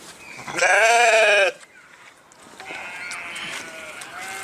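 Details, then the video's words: Sheep: a single loud, trembling bleat of about one second, followed by quiet background noise with a faint, thin tone. "صوت الخروف | the sound of the sheep"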